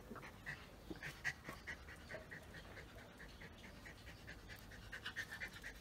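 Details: Coco, a pet German Spitz, pants during a Sunday-morning game of fetch; steady run of short airy puffs, about three each second, with a faint squeak in each breath.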